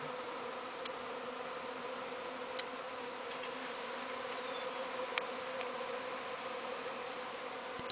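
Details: Bees swarming outside a window: a dense, continuous droning hum from many insects, steady throughout with a few faint clicks and ticks.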